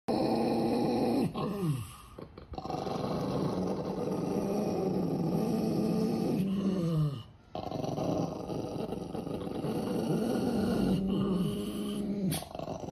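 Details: Dog growling continuously in low rumbling bursts, each lasting several seconds with brief pauses near two and seven seconds, pitch dipping at the end of each growl, indoors.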